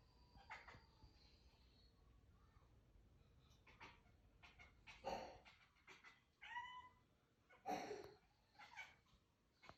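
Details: A cat watching a bug for the first time utters scattered soft chirps, brief clicks and a few short rising meow-like calls with bright harmonics, spaced irregularly over about ten seconds in a quiet room with low background hum.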